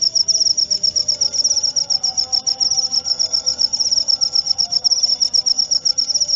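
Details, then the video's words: Cricket song meant to calm the mind before sleep and naturally repel rats; rapid high chirps pulse continuously in an even rhythm, with quiet low humming tones underneath. "Suara Jangkrik"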